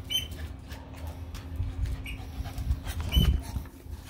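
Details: Playing dogs, Doberman, bull terrier and schnauzer together, give continuous low rumbling growls, rising to a harder gruff burst near the end, broken by brief high squeaks and scuffling.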